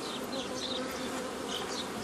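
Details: Crowded honey bee colony drone while nuclei are split off a forager swarm, May 15, 2018; an unbroken, rich, even hum with faint higher whines of individual bees passing.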